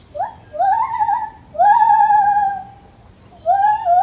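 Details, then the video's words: Lar gibbon in a zoo giving loud, clear hoots that rise and then hold level in long whistled tones, three notes in about four seconds with pauses between them. "Lar gibbon Monkey Sounds"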